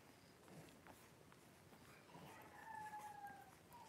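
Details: Blenheim Cavalier King Charles Spaniel puppies, a litter of five born at New Year's to Paris and Spike, in an indoor puppy pen on 26 January 2023; a thin, drawn-out, slightly falling whine over soft rustling and shuffling.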